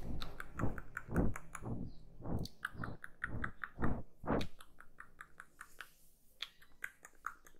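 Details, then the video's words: A kitten eats up close. Steady, rhythmic crunching chews, about two per second, are strong at first and fade to softer, scattered clicks of the mouth and tongue in a hushed indoor space. "GATINHO COMENDO (eating sounds)"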